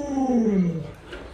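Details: Luoluo, a pet Alaskan Malamute, makes a brief tonal woo that slides steadily downward in pitch and fades within a second.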